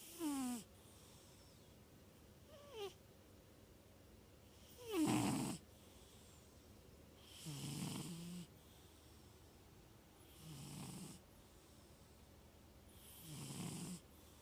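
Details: Sleeping at night, Neo, a nine-year-old 25 lb tuxedo male cat, snores loud; six rhythmic breaths roughly every two and a half seconds, some squeaky and whistling, others low and rumbling, in a quiet room.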